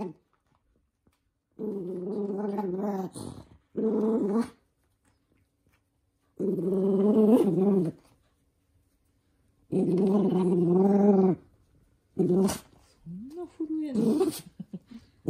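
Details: Toy poodle, a young male, growling in anger indoors as socks are put on its paws; about six harsh, throaty bouts of one to two seconds each, separated by short silences, ending in a whiny rising snarl.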